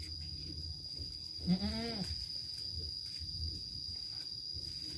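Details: Farm goat housed alongside its kids: one short, nasal bleat that rises then drops, lasting about half a second, followed by quiet pen noise and a constant thin high-pitched hum.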